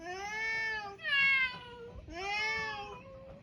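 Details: Island cats, mixed-breed, on a Japanese cat island: three drawn-out harmonic meows in a row, the middle one loudest and slightly higher, each about a second long with gentle falling endings.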